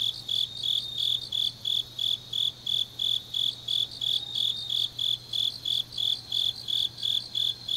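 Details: Grass insects on a deep autumn night in Changnyeong, South Gyeongsang, Korea: a steady train of shrill, high chirps, about three per second, with a second fainter chirper overlapping and a low, even hum underneath.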